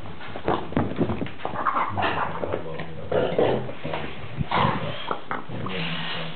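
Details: Dog at play with his favourite ball, letting out deep throaty growls and huffing snorts in uneven bursts, some rumbles sustained, in a small room.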